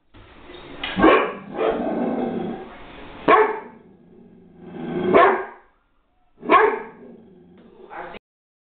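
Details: Upset Great Dane confronting aluminium foil on the floor: loud gruff barks separated by rumbling growls, five bark bursts over about eight seconds, ending abruptly.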